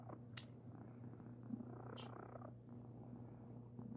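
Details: Sir Titan, a pet cat being affectionate and cuddly, gives an unbroken low rumbling purr, with a couple of brief soft rustles.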